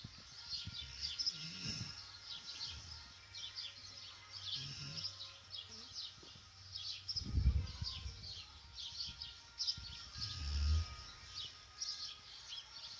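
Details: Akita Inu dog snoring while dreaming: low, rough rumbling breaths that rise and fade roughly every three seconds, with soft chirping of birds outdoors throughout.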